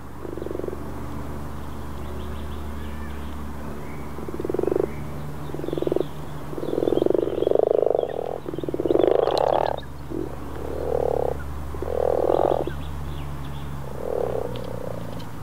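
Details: Common frogs (Rana temporaria) in Northern Sweden on a calm April day in 2014 give soft, low purring croaks in short bursts, several overlapping in a chorus.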